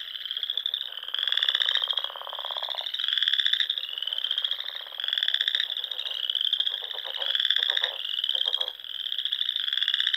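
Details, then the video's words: Frogs singing at dusk in spring among the Sandhills dunes of Nebraska, near small lakes and ponds: a dense chorus of high pulsing trills, swelling roughly every second or two, over lower rattling croaks from other callers. "RELAXING SOUNDS OF FROGS"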